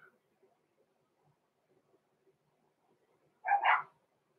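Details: Blenheim Cavalier King Charles Spaniel puppy, six weeks old, one of the litter of Roman and Blue born November 14, 2022: a mostly quiet room broken by one brief, double-pulsed yappy bark near the end.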